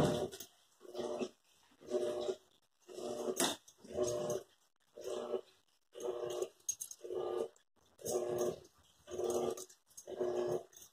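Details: Airedale terrier or Lakeland terrier growling indoors, a low rumbling growl in bursts of about half a second, repeated roughly every second with short pauses between, steady and rhythmic throughout.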